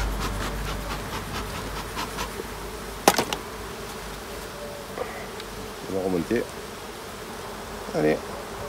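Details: Honey bee colony hums steadily while its hives are checked at the end of summer, 22 September. The even buzz is broken by a sharp knock near three seconds and short bursts of human voice toward the end.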